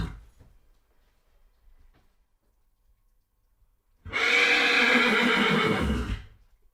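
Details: Horse neighing, played to help dogs get used to horse sounds: after four seconds of near silence, a loud harsh whinny with stacked harmonics runs about two seconds, shaking and wavering before fading out.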